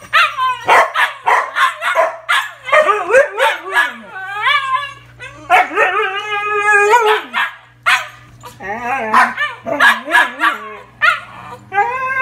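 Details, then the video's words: Two Siberian huskies behind a gate indoors, eager to be let outside to potty, give continuous talkative yowls, whining howls and short barks, pitch sliding up and down, calls overlapping with brief pauses. "Huskies Eager to Go Out to Potty"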